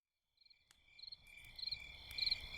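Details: High, steady cricket trilling at night beside a campfire, with brighter chirp bursts about every half second over a continuous insect hum and soft crackles.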